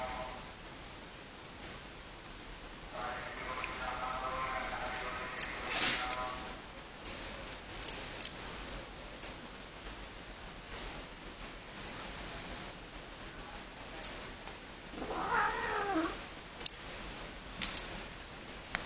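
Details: Little Siamese cat playing with a Norwegian forest cat: a drawn-out harmonic meow near three seconds, then a short rising-and-falling mew around fifteen seconds, set among soft taps, clicks and rustles of play.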